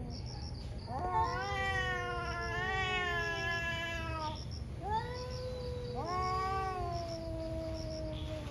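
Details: Two ferocious cats in a morning fight, both hard to control; long harmonic yowls that rise and fall, one drawn-out howl followed by two shorter wails, over a steady low hum with faint chirping in the background.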